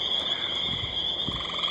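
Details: A dense night chorus of gray tree frogs and spring peepers near water by a horse trail, high peeps blending into a steady shrill wall, loud tonight.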